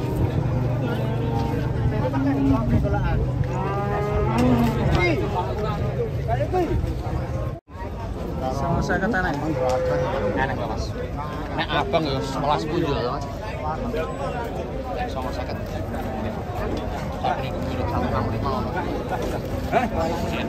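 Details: Giant sacrificial cattle coming off a truck before a watching market crowd: repeated bending, overlapping moos across twenty seconds, dense with people talking and vehicle noise, with a brief cut midway.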